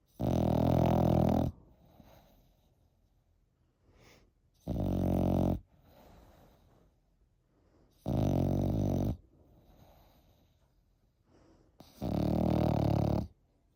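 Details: Eight-month-old French Bulldog asleep and snoring: four loud, rasping, drawn-out snores about every three and a half seconds, with soft breathy exhales between them.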